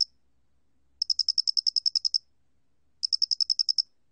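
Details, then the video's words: Two bursts of rapid, bright, high pulses from a Doenitz's cricket, from a 2020 National Institute of Biological Resources insect-sound recording, separated by a short silence in an otherwise quiet background. "모대가리귀뚜라미, 여러번 듣기, 곤충소리"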